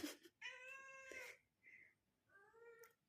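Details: A tabby cat wanting sacrificial meat, asked if it wants meat, gives a long, drawn-out meow, then a shorter chirp and another rising meow.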